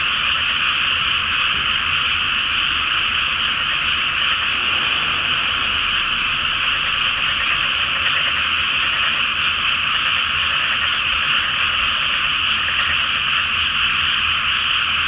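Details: Night-time frog chorus in a rice field flooded ahead of rice planting, full moon shining on the water surface; many frogs croak together in a steady, continuous, high-pitched throb that holds even throughout.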